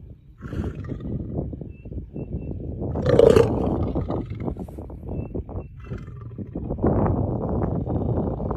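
A lion roars in deep, rumbling bursts that swell and fade over several seconds, with a loud peak midway and heavy low growling throughout.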